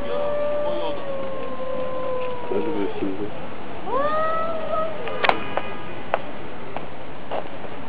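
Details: Fighting cats: a long, slowly falling moan is followed by a sharper, rising wail. Loud clicks and scuffling knocks near the end suggest physical contact.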